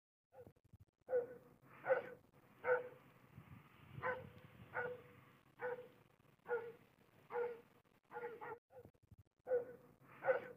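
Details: Afghan hound, described as vigilant, barking steadily: about a dozen short, hoarse woofs spaced under a second apart, with no other sounds.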